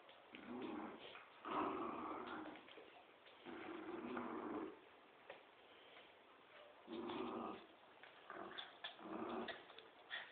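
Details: A Poodle and a Dobermann playing tug of war indoors; throaty growls come in bursts of a second or two separated by short pauses, with some scuffling between bouts.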